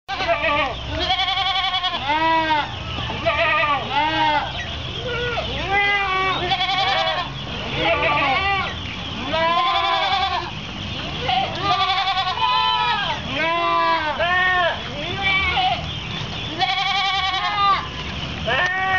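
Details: Chorus of many goats bleating while waiting for their feeding ration at an Islamic boarding school in Anjir Palambang village, Kapuas, Central Kalimantan, Indonesia, recorded 10 February 2013; overlapping wavering harmonic bleats, dense and continuous, with brief human voices.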